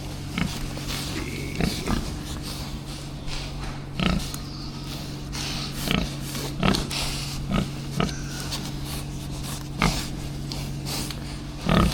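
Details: Pigs on an organic farm in winter, kept indoors and being given new hay from a front loader: short snorting grunts every one to two seconds over a steady low machine hum, with scattered clatter and a man speaking briefly.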